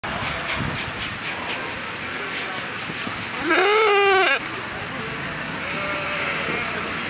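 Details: A sheep at the Johnson County Fair gives one loud, brassy bleat that swells and then fades, almost like a trumpet.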